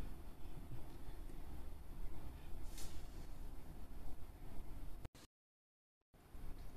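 Low rumbling background noise like passing traffic, with a brief dropout to silence near the end and no animal voice.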